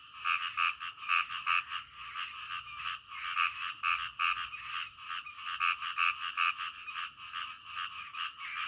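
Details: Midnight frog calls, quick bursts of croaks arriving in clusters of two or three, many frogs calling together at an uneven pace, with a thin high whine behind them.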